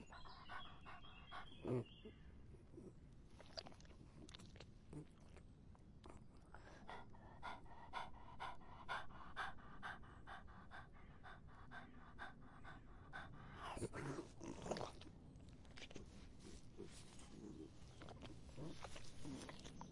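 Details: A dog drinks on a hot summer day. Sharp wet clicks and laps come in runs, sometimes dense and sometimes sparse, with a louder splashy stretch midway and faint background hum throughout.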